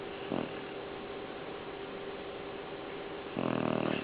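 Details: Pet dog asleep and snoring: a brief rasping snore early on, then a longer, louder buzzy snore near the end, over a steady hiss of background noise.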